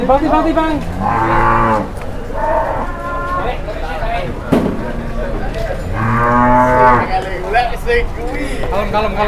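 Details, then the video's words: Cattle on their first visit to a market, startled and raging, give loud harmonic moos, a long drawn bellow near the start and another in the middle, over background voices and crowd chatter. "SAPI BARU PERTAMA KE PASAR DI KAGETIN NGAMUK"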